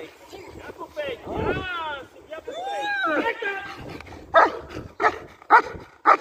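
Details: German Shepherd in IGP competition training: a man speaks with a rising, sing-song voice, then the dog answers with four sharp, loud barks at uneven intervals, one roughly every half second to second.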